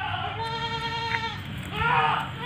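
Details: Seven-month-old female Etawa goat, 70 cm tall, giving a long, steady, nasal bleat rich in harmonics, then a second shorter bleat; a man talks in Indonesian beneath and between them.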